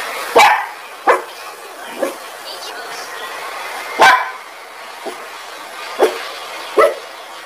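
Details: Angry domestic dog barking: about seven sharp, loud barks at uneven intervals of roughly one to two seconds, some strong and some softer, over a low steady background hiss.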